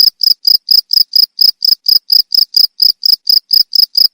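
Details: Cricket, meant as a rat-repelling sound, giving about seventeen brisk shrill chirps in quick regular succession, each a short buzzy pulse, on a silent background.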